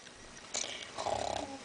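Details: Kitten named Cherokee, a pet at play: a sharp rustling burst, then a short run of quick, evenly spaced rhythmic pulses like a brief purr, with a woman talking softly nearby.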